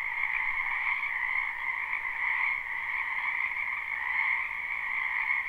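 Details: Spring wetland full of frogs croaking, recorded live: a constant shimmering wall of trilled calls, an upper layer stronger than a lower one, evenly loud throughout, no other sounds.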